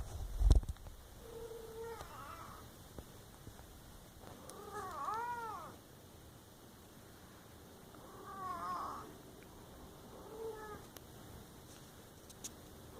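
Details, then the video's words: Domestic cat making a series of short chirping and wavering meows, five or six calls spread over the recording, with a low thump at the start and light rustling indoors. "Funny cat sounds"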